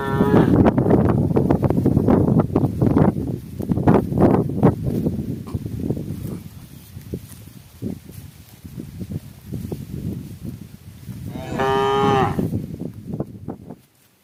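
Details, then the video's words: Cow calling its herd amid cows eating together before nightfall: loud thumping, rustling handling noise at first, fading to quieter movement, then one clear, drawn-out moo. "the sound of a cow calling itsherd"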